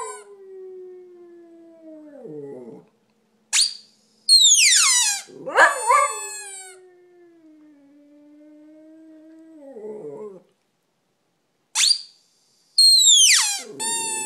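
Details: Dog howling in long low wavering notes that slide slowly downward, broken up by loud high-pitched sweeping squeaks and short harmonic whines, with brief silences between bursts.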